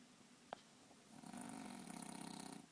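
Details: A French bulldog, deeply asleep and sprawled on a bed, gives a rough, rattling snore on a long breath after a brief tap.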